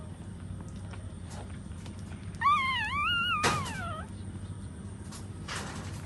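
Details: A puppy nursing beside its standing mother gives one clear, quavering whine that rises and falls in pitch and then slides downward. A brief knock cuts across it, with soft rustling afterward.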